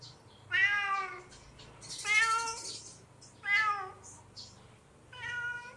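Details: Hungry kitten calling out with four clear, bright meows, each about half a second long, spaced roughly every one and a half seconds, with a faint low hum underneath.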